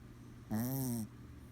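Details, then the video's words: Small Chihuahua asleep, giving a single half-second nasal snore: a steady, tonal hum with a slight arch in pitch and a rich buzz of overtones, against a quiet room. "Adorable Sleeping Snoring Chihuahua"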